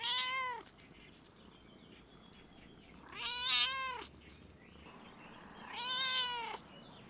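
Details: Three loud, bending meows from a stray domestic cat on a fence, calling to a person on a campus shut by coronavirus; calls come about three seconds apart, each rising then falling, over a quiet background.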